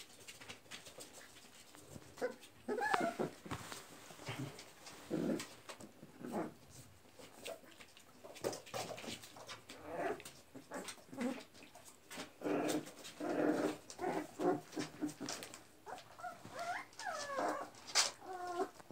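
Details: Twenty-six-day-old Chilean-bred American Pit Bull Terrier puppies whine in high, wavering squeals: one cluster around three seconds in, then a run of bending, squeaky cries near the end, amid rustles, taps and scratching.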